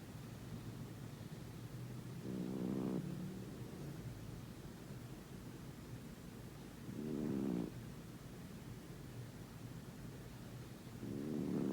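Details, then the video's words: Sleeping pet cat TJ, a female who has snored for all nine years in her home and sometimes loud enough to wake her owner, gives three raspy, buzzing snores about every four and a half seconds over a constant low hum. "Yes…my cat snores"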